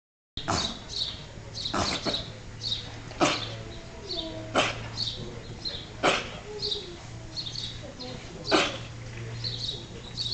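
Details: A goat sneezing repeatedly, possibly with hay fever, at Wimpole Hall in June 2009; sharp broadband bursts roughly every one to two seconds, several loud, over a steady low hum and faint background noise.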